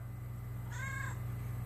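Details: Domestic cat meowing while its owner talks with it: a single drawn-out, slightly rising then falling meow lasting about half a second, over a steady low hum in a quiet room.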